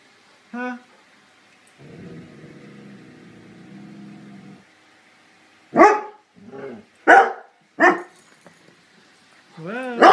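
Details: Dogs barking: a few sharp, loud single barks spaced about a second apart in the second half, after one short early bark and a stretch of low, steady droning sound.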